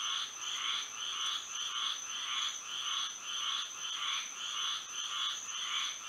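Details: Moonlit Florida night with frogs singing: evenly spaced, rasping pulsed notes about every half second from several overlapping callers, set against a constant shrill tone in the background.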